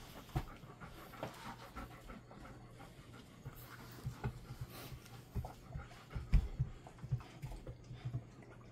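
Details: Golden Retriever resting indoors in a cool, air-conditioned room kept at 20 to 22 degrees during hot summer weather; soft, steady, rapid panting breaths, with a few louder puffs and faint room noise.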